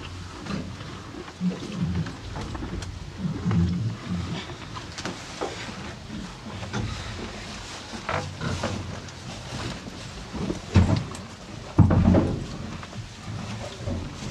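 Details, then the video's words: Two cows feeding on hay: irregular crunchy chewing with deep, low huffing breaths, growing louder near the end with two strong snorting bursts. "TWO CUTE COW EAT HAY!"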